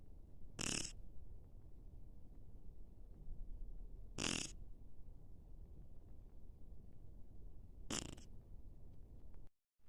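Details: A Shih Tzu named Ace snoring: three short, harsh, snorting breaths spaced about three and a half seconds apart over a low steady rumble, ending in a brief silence.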